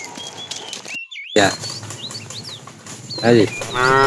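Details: Tame cattle herded in the afternoon, a fat cow calling the female: brief, clipped moos repeated three times over a few seconds, with chirping birds in the background.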